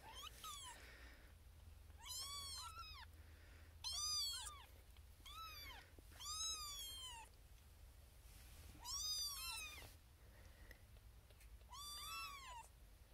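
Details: Xena Thumbalina, a female kitten born April 1st, 2021, first of her litter, restless in a birthing box with six other kittens and crying for her owner's attention: seven repeated arched meows, roughly every one to two seconds, with soft background hiss.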